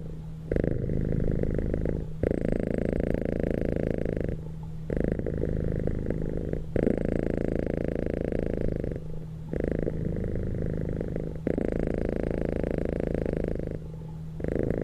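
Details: Domestic cat purring while asleep: a steady low rumbling purr in long continuous bouts, each several seconds long, separated by brief quiet gaps, recorded indoors.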